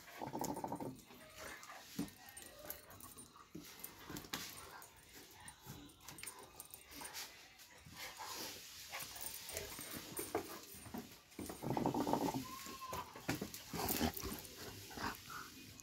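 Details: Doberman Pinscher giving soft whimpering and whining sounds indoors, scattered over the recording with a louder burst near the end, alongside handling noises and a person speaking Korean.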